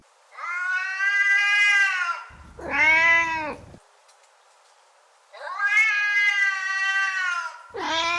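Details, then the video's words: Domestic cat meowing to attract another cat: two long, steady, rich-toned meows alternating with short, downward-curving cries, separated by brief silences. "Bruit de Chat pour attirer un Chat"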